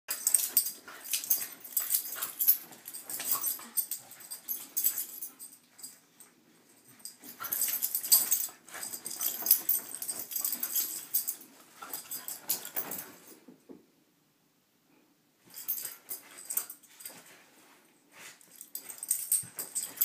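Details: Corgis play-fight on a bed in the morning, with harsh, breathy snorts, wheezes and snarls in rough bursts separated by brief pauses.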